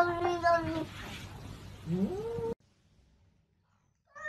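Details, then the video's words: Kittens meowing: a few short harmonic meows, then a rising, drawn-out mew, followed by sudden silence and a brief final squeak. "Baby Cats - ☺️ Cute and Funny Cat Videos Compilation"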